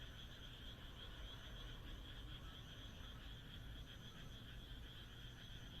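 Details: A Japanese rural night under the moon, frogs croaking together in an unbroken, buzzy pulsing chorus, with a persistent low-pitched rumble underneath and a brief thin high note near the start and end.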